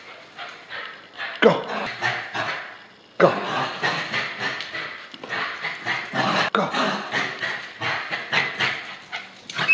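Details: Two Bichon Frise dogs, one held on a leash while its brother runs loose and teases it in play; rough yapping barks come in quick bursts with short pauses, with a person talking now and then.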